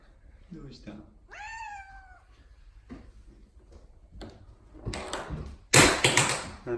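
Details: Odeko the cat gives one rising-then-falling meow amid a person's soft questioning speech indoors, followed by rustling and a loud clattering noise at the end.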